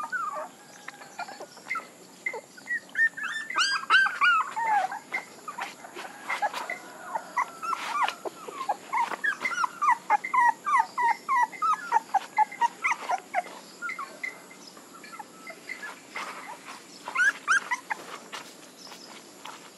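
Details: Puppies giving a long run of short, sharp squeaks and yelping whimpers, about three a second at the busiest, bunched in dense bursts with brief pauses and faint clicks between.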